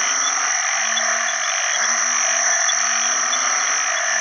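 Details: Several banded bullfrogs in a pond after heavy rain, early rainy season, give low, nasal, steady moaning calls to attract mates, one after another, set against an unbroken high-pitched wall of frog and insect chorus.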